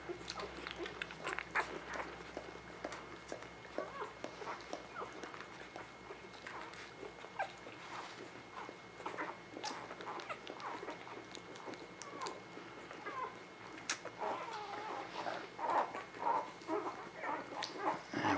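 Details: Newborn puppies of a spring 2017 litter, indoors, handled one by one while being checked: faint thin squeaks and whimpers in irregular short bursts, roughly two a second, with a person talking softly nearby.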